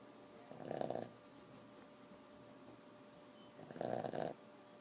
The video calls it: Boston terrier chata snoring